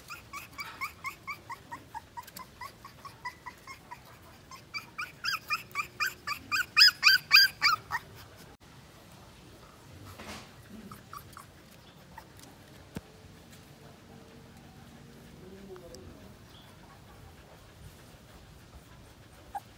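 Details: Two-week-old Siberian Husky puppy crying: a rapid run of high, harmonic whimpers, several per second, growing louder over about eight seconds, then fading to near quiet with faint rustles and a soft thump.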